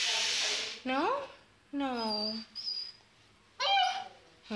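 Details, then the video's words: Frightened two-month-old Saint Bernard puppy refusing the stairs, letting out plaintive whines that rise, bend and fall. Quiet pauses separate three whines, and a person's voice urges it on. "Saint Bernard 2 months Afraid to Go down Stairs"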